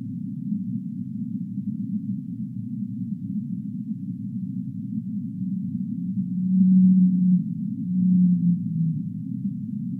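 Deep whale moans swell out of a low rumbling hum, with two long tonal notes near the end.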